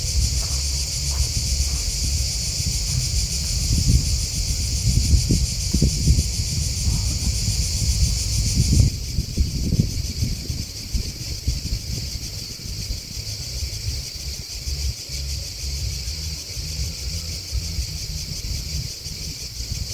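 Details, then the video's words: Crickets chirping outdoors: a steady, dense, high-pitched shimmering chorus that runs without pause, noticeably louder for the first nine seconds and then softer, over low rumbling wind and rustling. "Crickets Chirping Sound"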